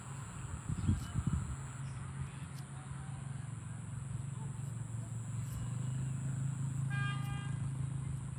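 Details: A farm cow being herded to the barn lets out a deep, drawn-out moo, a low droning hum that swells and holds steady for several seconds. A faint high electrical whine and brief rustling sit in the background.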